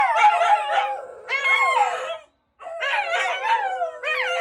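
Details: Shiba Inu dogs howling in reaction to a broadcast: wavering, bending howls rich in overtones, several voices overlapping, broken by a brief silence and then resuming.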